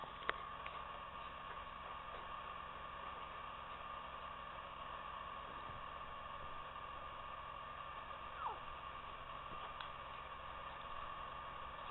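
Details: A steady low hum with faint tonal bands, a few soft clicks and a brief sliding squeak near the end, and no clear animal voice.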